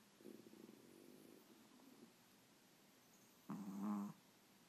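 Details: A French Bulldog and a Brussels Griffon, both rescued dogs, snoring against each other: a soft raspy snore at first, silence, then a short louder, buzzing nasal snore lasting about half a second.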